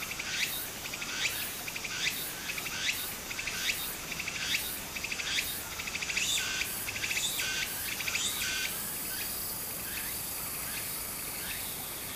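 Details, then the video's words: Summer cicada chorus by a small stream in Japan. Pulsed, shrill buzzing with rising strokes roughly every second fades after about nine seconds, leaving a steady high hiss and running water. "小川の流れと蝉の声 自然音 ～夏～ Japan Sound of nature Cicada's voice"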